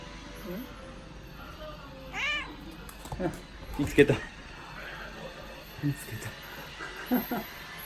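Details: Odeko, a pet cat, meows as though trying to tell something; one arched, rising-falling meow around two seconds, followed by scattered short soft sounds and clicks, with quiet room hum and light speech.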